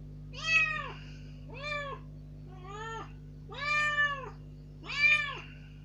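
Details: Kitten rescued some three days earlier, out of its cage in a room for the first time, loudly pleading to be let outside. Five strong, arched meows, each under a second, repeated about once a second in a quiet indoor space.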